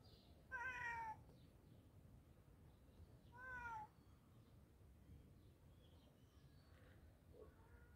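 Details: Hungry cat being fed gives two short falling meows a few seconds apart over a steady low background hum, then fainter sounds.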